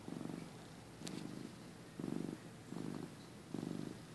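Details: Short stretch of a dozing pet cat's purr, recorded early 2015: five low grainy rumbling bursts in a slow breathing rhythm, one faint tick among them.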